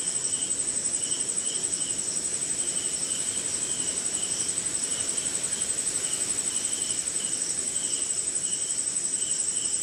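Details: Rainy night in India with crickets: a piercing continuous trill beating rapidly, plus spaced soft chirps in pairs and threes, over a steady hiss of rain.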